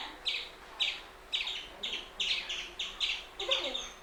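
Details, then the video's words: An Indian palm squirrel gives sharp, high, chipping chirps, eight in about four seconds at a steady, slightly uneven pace, each a short bright burst over a quiet background. "Hear The Most Surprising Sound Of The Indian Palm Squirrel"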